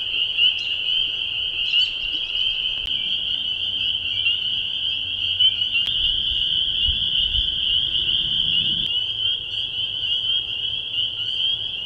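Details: Spring peepers calling at the Bashakill, recorded by an acoustic monitor. A thick, unbroken chorus of piercing high peeps rings throughout, with a few brighter individual notes early on, occasional clicks, and soft low rumbling underneath.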